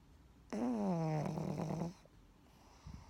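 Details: Pug asleep inside the blanket its owner is wearing, snoring: a single drawn-out, droning, nasal snore of about one and a half seconds that slides slightly lower in pitch, then quiet indoor room tone.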